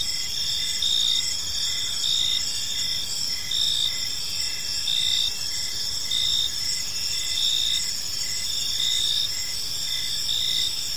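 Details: Several crickets sing together in a park at evening, their shrill, unbroken trills stacked at different pitches while a clearer chirp repeats in steady short bursts across the stretch.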